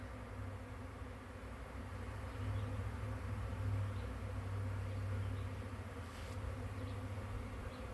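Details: Large bee swarm, May 9, 2023, with very many bees: a loud, deep, continuous drone, strongest in its low hum, rising in intensity around the middle then easing off.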